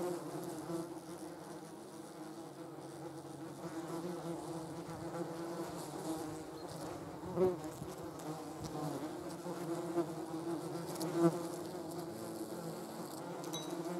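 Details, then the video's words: German wasps, yellow jackets, feeding on a jar of jam: a soft, steady, low droning hum with a few brief louder buzzy swells as wasps fly close "Yellow jackets on a jar of jam. Deutsche Wespen auf einem Glas Marmelade."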